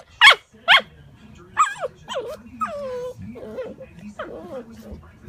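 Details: Alaskan malamute puppy opening with two sharp, loud barks, then a run of descending whines and wavering howl-like moans that grow softer toward the end.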